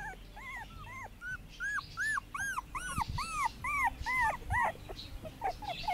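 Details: Puppies on their first day in the garden, 2017: a rapid series of high, arched whining squeals, about two to three per second, overlapping voices suggesting several pups calling at once.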